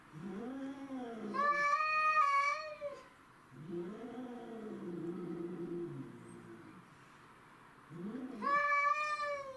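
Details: Territorial clash between domestic shorthair cats: a bent, warbling howl climbs into a loud, strained yowl, then a lower wavering moan carries for several seconds. After a quiet gap, another sharp rising yowl erupts near the end.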